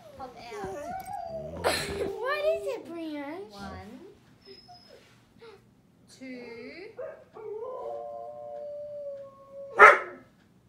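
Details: A Siberian Husky howls at the TV, with a German Shepherd present, giving wavering, yodel-like howls that swoop up and down in pitch, with a sharp sound near the end.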